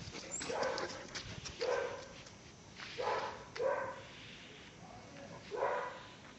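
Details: Caucasian Shepherd Dog named Pələng, a year and one month old, in Azerbaijan, giving five short mid-pitched barking yelps at irregular intervals over about six seconds, with a quiet background between the bursts.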